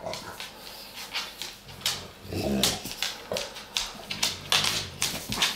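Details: Indoor play between Dogue de Bordeaux pair Sophie and Morgan in their dog bed: a low grumbling growl rises mid-way, surrounded by short whimpering huffs and scuffling movement noises in a small room.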